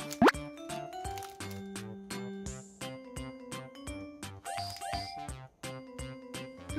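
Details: Playful children's music with bouncy plopping effects and quick sliding tones, no animal voice audible.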